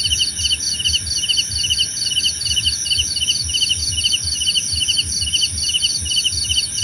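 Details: Cricket chorus for sleep and easing tension, roughly two chirp bursts per second, each a quick series of high ticking pulses, over an unbroken whining insect hum.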